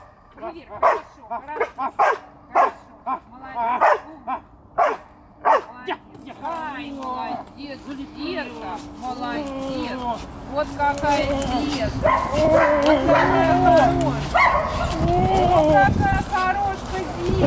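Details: Young dog making its first attempts at barking: a run of short, sharp barks roughly every half second at first, giving way to rising whines and yelps, with people talking in Russian throughout.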